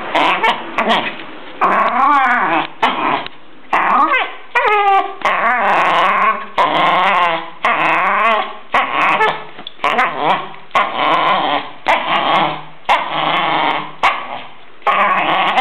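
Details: Nervous, aggressive Jack Russell Terrier in Verona makes a steady series of raspy growling whines, each about a second long, some bending upward in pitch, with short breaks between them.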